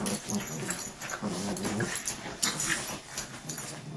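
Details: Dogs scuffling in a fight indoors, with low rumbling growls rising and falling over rustling and scraping noise, a brief sharper yelp near the middle.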